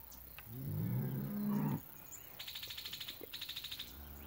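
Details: Month-old calf paraded on an El Salvador farm lets out one low, slightly rising moo of over a second, followed by a fast, even train of high rattling pulses and background voices.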